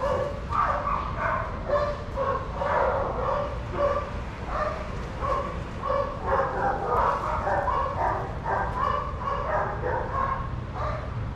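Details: Adoptable shelter dogs playing together at a daycare, giving steady runs of short harmonic barks, several voices overlapping almost continuously over a low, constant background hum.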